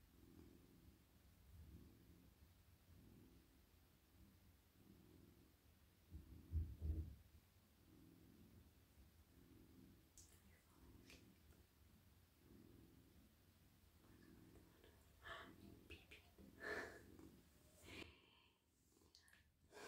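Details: Steady, deep purring from a male house cat being petted in a lap at night. The rumble throbs in regular breath-paced swells, and crisp rustling and stroking noises join in during the second half.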